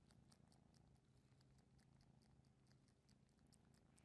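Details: Domestic cat purring in a steady, soft low rumble that pulses evenly throughout, with faint light clicking ticks scattered above it and no other clear sounds.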